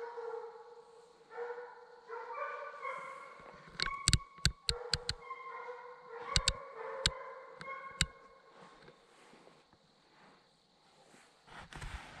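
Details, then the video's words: Redbone Coonhounds, young hunting dogs out on a 2020 coon hunt, bay in long wavering howls that rise and fall, while sharp knocking clicks punctuate the middle stretch. "2020 Coon Hunt! Young Redbone Coonhounds."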